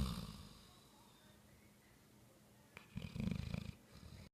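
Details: Bloodhound (Canis lupus familiaris), snoring.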